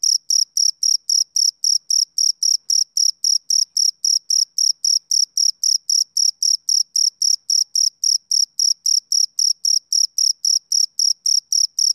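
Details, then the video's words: Summer-evening male cricket giving a continuous run of shrill, evenly spaced chirps at roughly four per second, with no other sounds behind it. "Cricket Chirping Sound Effect"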